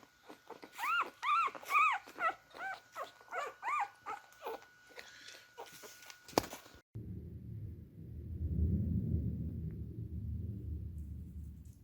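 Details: Beagle puppies drinking milk give quick, high, arching squeaks and whimpers, then low muffled slurping sounds.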